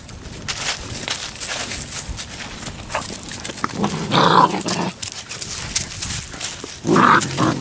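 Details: Seven-week-old Labrador Retriever puppies make two rough, noisy growling bursts near the end, among scuffling and rustling sounds.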